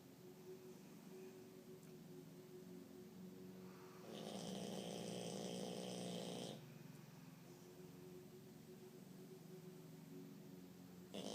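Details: Jacques, a pet French bulldog, snoring steadily with a low rasping drone. A louder, harsher breath swells for about two seconds midway, then the even snore resumes.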